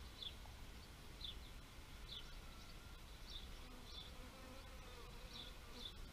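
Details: Bees buzzing in a nature-sounds recording: a low, steady hum with faint wavering tones drifting in pitch, over a constant low rumble, while short high bird chirps repeat roughly every second.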